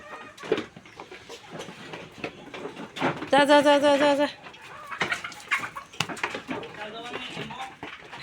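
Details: Domestic goat, well fed after a full meal of special feed, heading back into its shed: one loud, wavering bleat lasting about a second with stacked harmonics, surrounded by a person's speech and scattered short clucking sounds.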